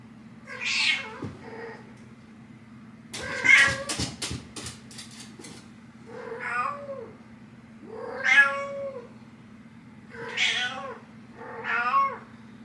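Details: Nyx, a cat, waking her human mom: six harmonic meows spread over the span, each arching in pitch, with a burst of knocking or scratching sounds near the third second and a steady low hum beneath.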